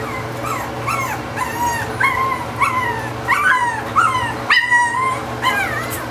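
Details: Boston Terrier puppies just under five weeks old, from Ruby and Ike's first litter, crying: high, thin whimpers that slide downward, repeated roughly every half second and sometimes overlapping, over a steady low hum.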